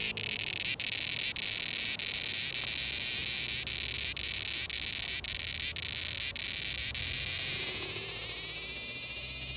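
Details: Cicadas singing in summer 2020 in Japan: a dense high buzzing drone broken by brief dips roughly every half second, then swelling into a steady continuous buzz near the end.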